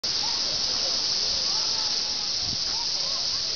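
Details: Cicadas up in the trees at Nokendai Community Center, producing a dense, steady, high-pitched buzzing drone that holds unbroken throughout, with faint thin whistled notes and a person's voice in the background.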